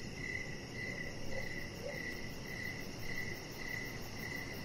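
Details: Evening crickets chirping outdoors: a steady sequence of high, brief chirps around every 0.6 seconds, with a couple of faint softer sounds and constant low background noise.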